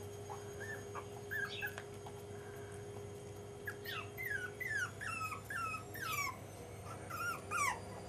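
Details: Five-and-a-half-week-old Jack Russell Terrier pups whining, with a few scattered squeaks early on. From midway a rapid string of falling, squeaky yelps takes over, each cry sliding downward, over a constant background hum.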